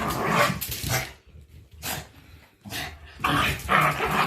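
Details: Two white Shiba Inus, Mochi and Kome, play fighting at their mountain home: rough, noisy growl-barks in bursts of about a second, with a short quiet gap in the middle.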